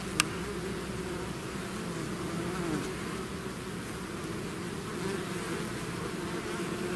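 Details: A swarm of bees leaving the hive makes an even, enveloping drone of many wings, low and steady throughout, with one sharp click near the start.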